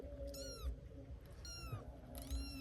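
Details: Three cats in a household; one gives high-pitched meows that fall in pitch, three short calls about one second apart, over a low steady hum.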